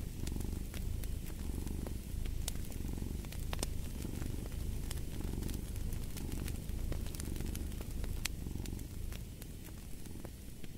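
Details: Low, throbbing purr from a cat rising and falling in regular breathing cycles near a crackling fireplace, whose dry pops and clicks punctuate the rumble.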